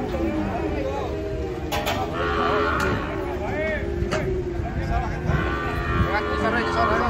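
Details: Cattle being unloaded from a truck in Indonesia, one of the herd agitated; low drawn-out moos with stacked harmonics rise over excited Indonesian and Javanese speech, background music and the clatter of hooves and handling.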